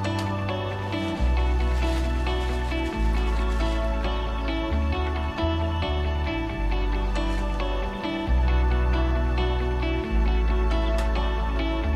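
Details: Soft, tender instrumental music with steady plucked and sustained tones and a repeating low bass line throughout; no animal voice is heard.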